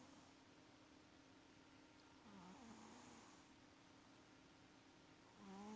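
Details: Maxi the cat asleep and snoring, a slow breathy rasp swelling on the inhale with a wavering whistle-like tone, followed by another breath starting at the end.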